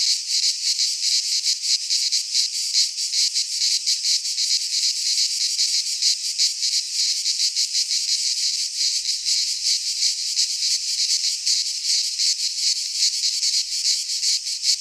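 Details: In a Greek pine forest at midsummer, cicadas keep up a harsh, high-pitched buzzing that flutters rapidly and never stops, forming a thick uniform wall of insect noise.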